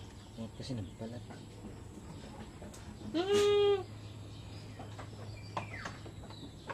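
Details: One loud, steady, nasal bleat lasting about half a second from a goat on a Filipino backyard farm during iron injections, standing out over low background hum and scattered faint noises.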